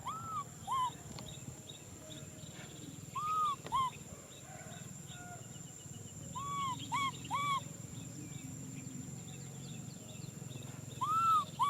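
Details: Baby macaque Nui Simon wanting a hug: paired rise-and-fall whistled cries come in bursts several seconds apart, the middle burst longer, against a constant low hum and faint hiss.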